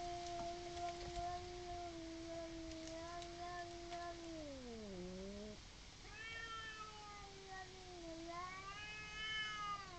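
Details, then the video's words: Two neighbours' cats in a garden disagreement, off camera, yowling before fighting: long drawn-out moaning wails that hold level, then slide down and rise again, with one cat answering in a higher, wavering tone. "Cats Fighting and Sound of it Off Camera"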